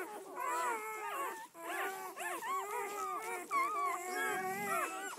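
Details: Red-rust Doberman Pinscher puppies from a litter of eleven, seven females and four males, out for the first day; a chorus of squeaky wavering whines and rising-falling howl-like cries, several voices at once.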